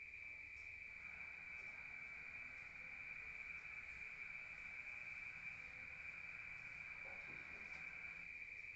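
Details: Crickets in the countryside at night, heard from inside a room, chirp in a steady, unbroken high-pitched trill.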